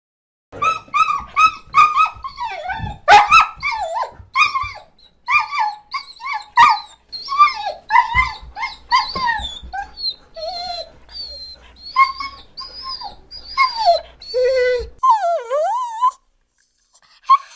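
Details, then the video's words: Dog crying with sad whimpers and laments: a rapid series of high, tonal whines and yelps that bend up and down, some long wavering cries sliding downward near the end, in a quiet background. "Sonido real de PERRO LLORANDO 🐶 | Quejidos tristes y lamentos"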